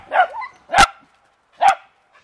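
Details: Family beagle and dachshund dogs playing in water, a dog barking at leaves being sprayed: a softer opening bark, then two sharp, well-spaced barks.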